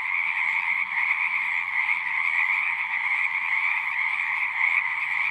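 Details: Dense frog chorus of natural sounds, countless overlapping croaks merging into a steady high trill, level and continuous, with a soft low background murmur.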